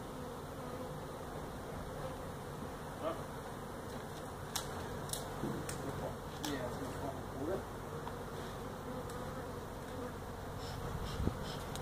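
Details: Feral honey bee hive removed from inside a tractor tire, part of a tire stack in a Mission, Texas citrus orchard; sustained low swarm hum underlying scattered sharp clicks and knocks from the removal work.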